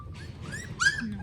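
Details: Newborn puppies, pets in Cambodia, give a short burst of high whimpers: thin whistled whines that rise and then fall, the last one the loudest, with low background rumble.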